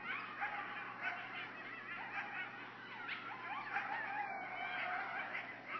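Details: A group of coyotes about 50 feet from a cabin porch in Hendersonville howl and yip together excitedly in a wavering, high-pitched chorus.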